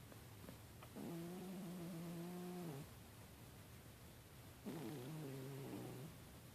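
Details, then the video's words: Sleeping pet cat snoring, quiet and hard to hear: two long, steady, humming low breaths, the first nearly two seconds and the second a little shorter and wobblier, separated by a silent gap, with soft background hiss. "My cat snoring"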